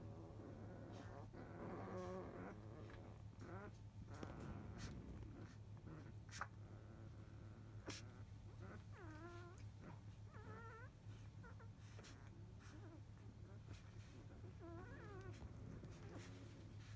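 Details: Fourteen-day-old field-type Labrador Retriever puppies from a litter of eight, sleeping after nursing; soft, wavering high whimpers rise and fall in short bursts several times, with snuffling and shuffling over a steady low hum.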